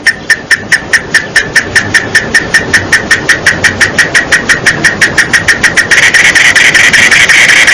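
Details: A cicada, heard mostly in summer, sings a rapid, rattling pulse, nearly three beats a second, that swells into a steady buzz.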